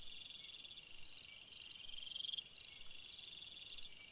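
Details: A cricket chirps on a summer night, six evenly spaced high pulsed bursts about every half second over a faint continuous buzzing chorus.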